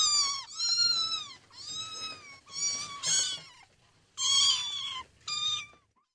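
A kitten gives a run of high, thin meows, each under a second long.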